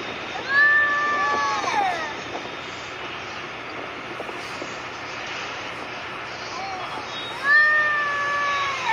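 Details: Arabian cat fighting; long, wavering, high-pitched wails in two bouts, one near the start and one near the end, separated by quieter stretches with faint background voices.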